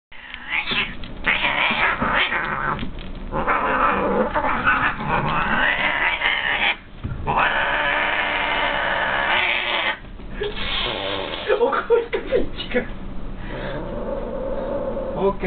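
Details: Domestic cat Picchi, a brown female, yowls angrily in a cat tower as white-and-grey male Pokke keeps biting her; the pair are normally close friends. Long, wavering, drawn-out howls and growls run almost nonstop, broken by short pauses near seven and ten seconds.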